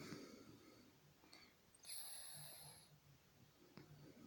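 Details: Titan, a 31-year-old Scottish Fold cat, lightly snoring during a daytime nap indoors, belly rising and falling; soft, low, rhythmic snoring pulses with breathy wheezes, faint high whistling tones above.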